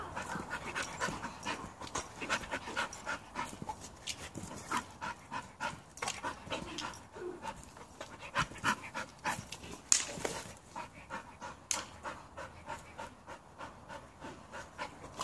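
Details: Bull Terrier hanging from a rope on a tree, panting hard in rapid, irregular breathy bursts, roughly three per second, with a sharp click or knock near the ten-second mark.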